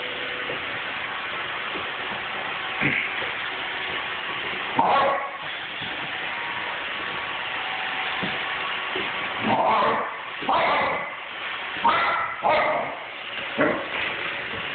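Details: Five-month-old female German Shepherd puppy attacking a Roomba indoors, giving several sharp barks and yips in bursts around five, ten and twelve seconds over a steady machine hum.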